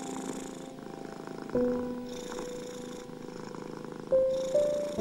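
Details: Continuous rhythmic purring of a domestic cat, a fast, even throbbing buzz, mixed with gentle sustained piano tones intended to calm anxious, ill or stressed cats.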